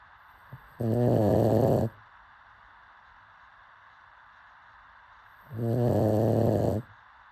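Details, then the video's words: Asleep, a pug lets out two rasping, buzzy snores, each just over a second long, spaced about five seconds apart with quiet breathing between. "Pug snoring"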